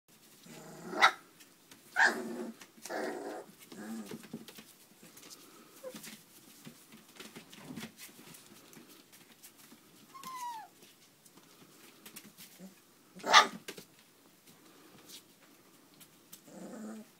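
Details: Irish Setter puppies, four weeks old, indoors in a small room: scattered short yelps and squeaks, a sharp cry near the start and a louder one later, with a thin whine and soft shuffling between.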